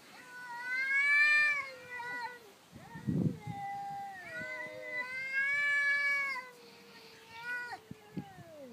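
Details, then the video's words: Orange house cat and black cat from two houses down quarrelling over territory by day, a fight that recurs nightly: long, loud, wavering yowls that swell and sag, overlapping drawn-out moans, with a brief hiss between them. "Two cats arguing"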